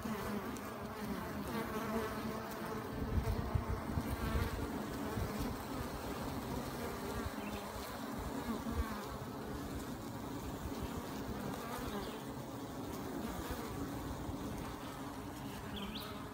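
Honey bees buzz steadily in a low, dense drone, the hum of many wingbeats together.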